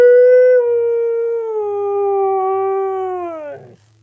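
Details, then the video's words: Siberian Husky talking for its owner on request: one long, steady tonal howl that slowly slides lower and fades out after about three and a half seconds, with faint low background hum. "Siberian Husky Talking"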